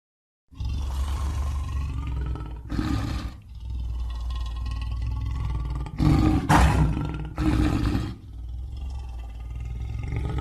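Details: After a moment of silence, a lion starts a sustained low, rumbling roar, punctuated by louder, harsh breathy bursts near the third, sixth and eighth seconds.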